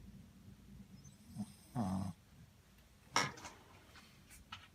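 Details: Muku, a Shih Tzu, asleep and snoring contentedly: uneven, rasping breaths, one low rumbling snore followed by a sharper, snorting exhale, irregular spacing, in a small quiet room.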